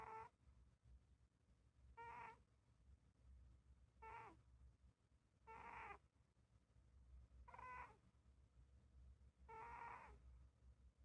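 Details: Sleeping Scottish Fold cat snoring, a pet kept indoors; six short nasal breaths about every two seconds, each a faint whistled, harmonic wheeze over a low steady background hum.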